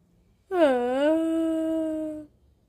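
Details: Howling in a home where a four-month-old Pomeranian puppy, Mel, is taught by her mother: a loud, sustained, mellow howl, dipping then leveling into a steady tone for almost two seconds, rich in harmonics, in a quiet room.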